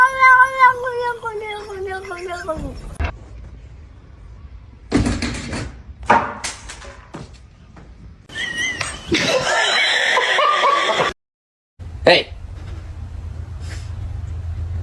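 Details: Domestic cat giving a long, drawn-out meow with stacked harmonics that slides downward over about two and a half seconds, followed by bursts of speech, thumps and rustling noise.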